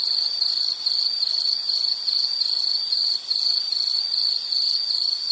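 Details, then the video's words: Insects heard in a calming nature-sound recording, a continuous shrill high trill made of fast even pulses, briefly dipping once near the end, over a soft background hiss. "Nature Sound of nature sounds scenery L · insect"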